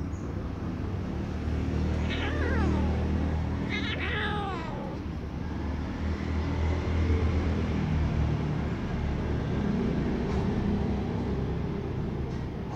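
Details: Baby kittens, a black one and its gray sibling, scuffling as the black kitten uses its claws to fend off the other; two short, wavering meows come near the start over a steady low hum, then only the hum continues.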